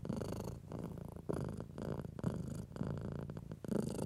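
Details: Pet cat being stroked, purring in a low, uneven rumble with short swells and dips, rubbing and fur-rustle sounds mixed in across four seconds.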